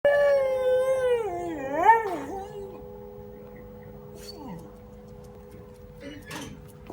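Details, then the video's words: Dog howling in response to a church bell: a wavering, harmonic howl rising and falling for nearly three seconds, then quieter, with a brief descending whine near four and a half seconds over a steady background hum. "Собака воет на звук колокола"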